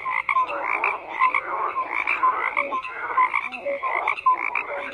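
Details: Many frogs croak together in a dense, continuous chorus: short rasping pulses overlap with brief clear whistle-like notes that recur every second or so, with no other sounds.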